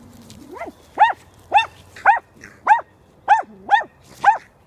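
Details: Dachshunds out hunting chipmunks give high, arching yelping barks, about seven in under five seconds, each rising then dropping in pitch, with a faint low hum beneath.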